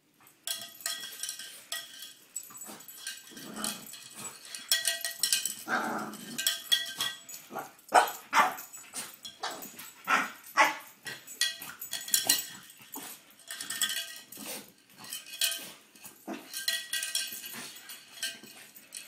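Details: Indoor French Bulldog going wild over a ringing cow bell, barking and yelping irregularly about every two seconds, with some deeper growly notes, while the bell clangs almost continuously underneath.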